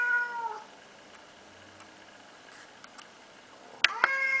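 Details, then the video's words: An unneutered male pet cat indoors gives a brief falling meow, then near silence with faint clicks, a sharp knock, and a second short meow at the end. "Talking Cat!"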